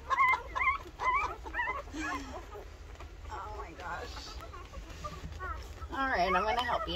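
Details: A litter of 13 two-week-old Rottweiler puppies, nursing, makes thin, high squeals and wavering whimpers that overlap irregularly over a low background rumble. A burst of louder, rising whines comes near the end.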